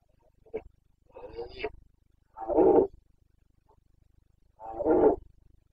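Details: Carpathian red deer stag in the Bucovina mountains, Romania, during the breeding season (boncănit), 29 September 2022. A soft grunt, then a longer hoarse call and two strong, throaty roars about two seconds apart, each about half a second long.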